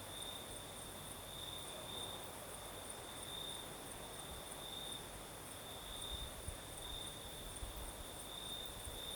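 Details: In the south of Crimea at night, crickets keep up a shrill continuous trill with soft pulsing, backed by a higher, fainter insect shimmer and the steady airy rush of a night breeze.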